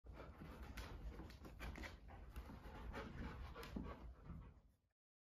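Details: A newly arrived female Rottweiler pants in quick, rough breaths, about four each second.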